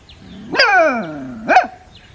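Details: Outdoors a playing puppy gives a whining, falling bark that trails off, followed a second later by a shorter sharp yap, over a faint background hum.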